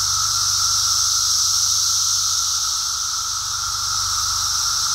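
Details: Brood X periodical cicadas in full emergence chorus along a walk, an even, high whirring hiss over a lower steady drone, sustained and unvarying for the whole stretch.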